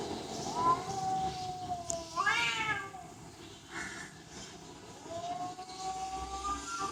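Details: Domestic cat giving a few soft, drawn-out meows, one rising sharply then sliding down, over a steady background hiss.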